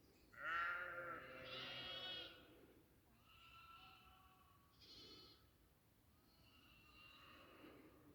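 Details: A strong wavering goat bleat on a goat farm, followed by several softer, shorter bleats that fade toward the end.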